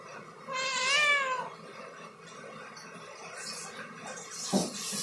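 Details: A domestic cat climbing a ladder gives one arched, wavering meow lasting about a second, followed by quieter rustling and a brief knock.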